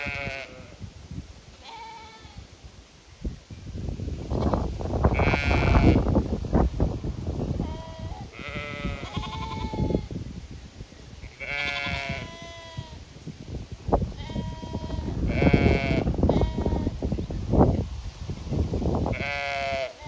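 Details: Zwartbles sheep flock on a regenerative farm in County Kilkenny, Ireland, calling in anticipation of being moved to fresh pasture: many overlapping wavering bleats, some high and quavering, some lower, coming in bursts throughout over constant low rustling and thudding.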